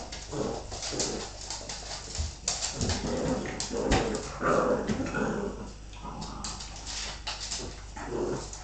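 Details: A Bull Terrier mother rough-plays with her pups. Muffled growls and short whining yelps come over constant scuffling and thumping.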